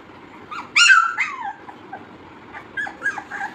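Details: Labrador Retriever puppies playing, giving a high harmonic whine that rises then slides down, followed by softer short whimpers and squeaks; a person speaks Tamil nearby.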